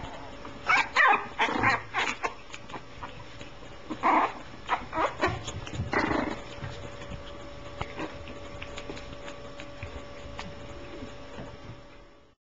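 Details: French Bulldog puppies born in mid-July 2010 give a rapid burst of short yelps and squeaky barks in the first six seconds, then fall quiet over a constant electrical hum.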